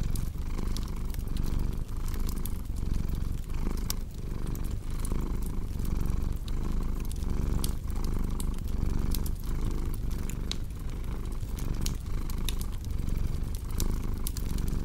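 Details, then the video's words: Cat's low, continuous purr pulsing in even breaths, each swell roughly a second long, over a cozy crackling fireplace whose snaps and pops sprinkle the background. "Purring Cat"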